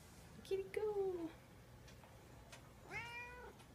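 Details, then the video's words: House cat meowing indoors: a short call, then a longer falling meow, and after a pause a rising, harmonic-rich meow near the end; faint clicks and soft background noise between calls. "Silly meowing kitty"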